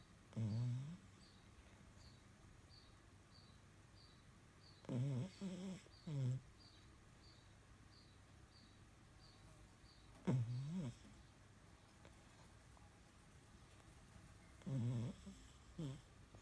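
A French Bulldog snores in low, rumbling, nasal bursts every few seconds.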